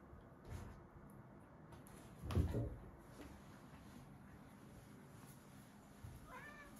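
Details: Two Siberian Forest kitten brothers, Michka and Sacha, wrestling in a bathroom; dull thumps and scuffling on the floor, then a single short, high meow near the end in a small echoing room.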